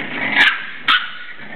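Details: Seven-week-old English Bulldog puppies playing indoors; two short, sharp yelps about half a second apart stand out over a low steady background hiss.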